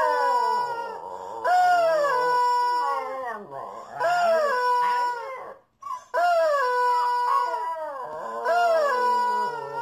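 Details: Dogs howling, drawn-out tonal wails that slide down and hold steady, several voices overlapping in long, wavering phrases with brief pauses between them.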